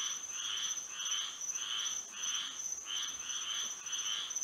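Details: Florida frogs singing in the moonlit night, a chorus of harsh croaking notes in about seven swelling bursts, spaced a little over half a second apart, backed by a continuous high whining tone.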